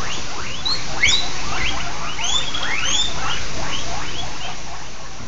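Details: Pet guinea pigs, at least two, in the morning, calling with rapid overlapping high squeals that sweep upward, several per second in a steady chorus. A person speaks briefly nearby.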